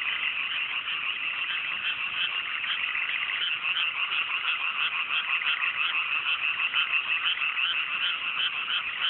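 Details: Dense frog chorus on a fine night in cool mountain rice paddies in the Japanese countryside, just after rice planting; many overlapping rapid pulsed croaks merge into a steady high rattling roar with no other sounds.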